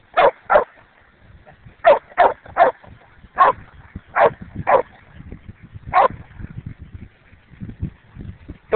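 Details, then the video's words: Domestic dog barking in sharp, bright single and paired woofs, spaced irregularly about once a second with short pauses between bursts; low rustling and handling noise between barks. "Hoss shows how to not be distracted by a bark"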